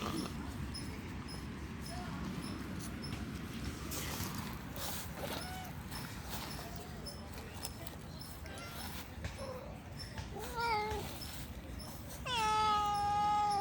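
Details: Hungry stray street cats beg for food by meowing: scattered faint cries, then a brief wavering meow near eleven seconds and a loud, long, harmonic-rich meow closing the clip, over low outdoor noise.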